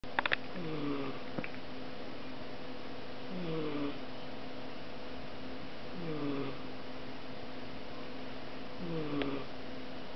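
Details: A sleeping female British Shorthair cat snores softly, each low rasping breath coming roughly every three seconds.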